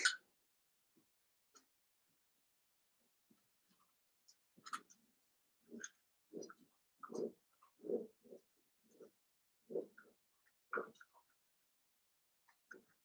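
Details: Seven-week-old blenheim Cavalier King Charles Spaniel puppies, a litter of five kept in a home puppy pen, give a run of short, soft yips and little barks, bunched between about five and eleven seconds, with faint squeaks before and after.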